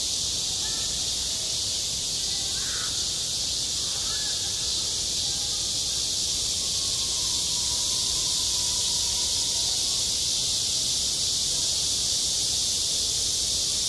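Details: Midsummer cicadas on a school playground form a continuous shrill wall of sound, even and unvarying, while brief faint calls flicker lower down around the third second.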